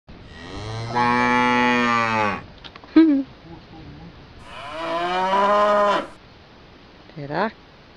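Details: Cow that kicks a woman full in the face: two long, low, steady moos of about one and a half seconds each, separated by a pause, with brief rising, wavering cries between and after them.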